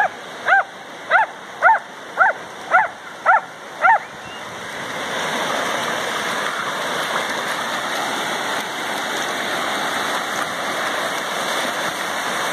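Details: A golden retriever and a dachshund play in the ocean at Lima, Peru; a series of seven sharp barks about half a second apart, then steady surf and splashing water.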